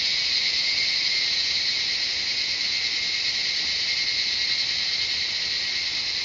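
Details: Cicadas sing a steady, high-pitched electric drone that holds without pause in the jungle of Shivapuri Nagarjun National Park, north of Kathmandu, Nepal.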